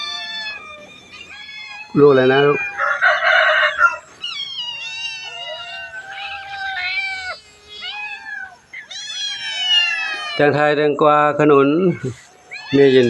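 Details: Cats, including a mother with kittens, at a temple in Chae Hom, Lampang, Thailand, during a morning greeting; several short rising and falling meows scattered between two loud bursts of human speech.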